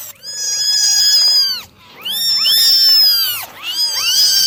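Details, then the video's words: Several kittens mewing while being dried in the morning, loud high-pitched cries in long overlapping bursts separated by brief pauses, roughly every two seconds. "9 Kittens Meowing Original Sounds"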